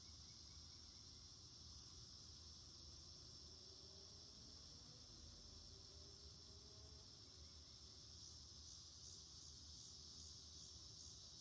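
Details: Cicada chorus in a garden on August 9, 2026, going throughout the day: a steady, unbroken high-pitched buzzing drone with no pauses, over a continuous low rumbling hum.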